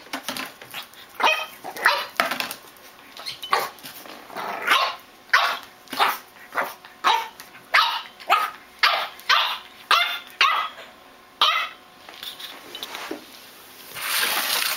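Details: French Bulldog puppy named Rocco, with its first bottle, giving a long series of short sharp barks or yips, roughly two per second, in a steady rhythm that pauses near the end as a hiss rises.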